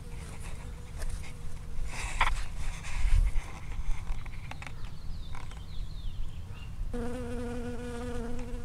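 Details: Close recording, within 5 cm, of one bee moving between strawberry flowers in a field, 19 June 2011. A faint hum opens amid crackles and low rumbling, and a clearer, rich, even buzz rises for the final two seconds.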